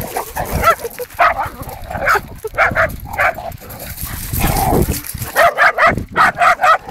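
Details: Hungarian Vizslas, more than one, playing boisterously; sharp barks and yips come in quick bursts, a steady run of evenly spaced barks closing the stretch, over scuffling play noise.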